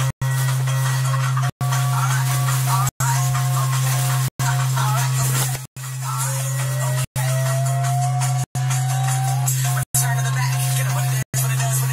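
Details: Loud looping music with a heavy bass drone and rattling percussion, broken by short silent gaps about every one and a half seconds, with a sliding tone in the middle; no animal voice.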